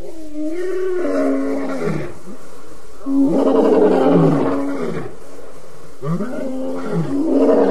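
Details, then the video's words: Lions calling at the Djuma Waterhole in the evening, August 11, 2016: repeated deep, drawn-out roars overlapping one another, each swelling loud then sliding lower, three big bouts in quick succession with no other sounds. "Audio Show at The Djuma Waterhole"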